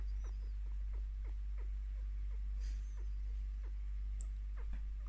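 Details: Five-year-old female pet chinchilla happily chirping as she is given scratches and attention; a run of brief falling chirps comes roughly every third of a second, with a low background hum and faint rustling.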